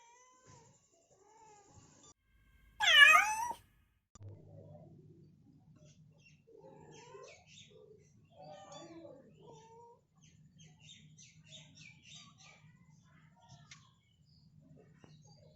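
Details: Mother domestic cat calling for her kitten as it leaves the room for the first time: one loud, drawn-out meow with a rising then falling pitch. Faint short mews, soft rustling and a low steady hum follow.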